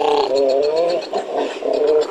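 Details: A northern fur seal, a species that breeds in California, gives a wavering, harmonic bleating call with a rhythmic, pulsing texture, with hissing in the background.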